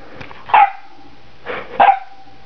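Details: Saint Bernard x Newfoundland puppy playing with guinea pigs indoors barks twice, about 1.3 seconds apart. Each bark is short, harsh and ringing, with a brief tonal tail, over quiet room background.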